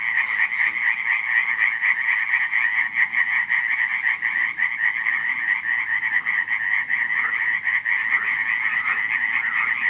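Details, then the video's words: Night chorus of many frogs at Radziszów, July 2015, a steady wall of fast, grating croaks layered in a mid and a higher band, continuous throughout with no other clear sounds. "nocne kumkanie żab"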